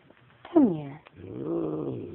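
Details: Domestic cat growling at a scary dog: a sharp falling cry followed by a low rough drawn-out growl, indoors, with faint background noise.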